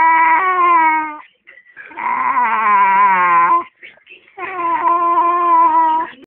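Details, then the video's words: Pet dog Eddie gives three long, wavering, crying howls with a slight sobbing quality, each lasting over a second and dipping then rising in pitch, with brief snuffles between them. "Eddie the Possessed Dog"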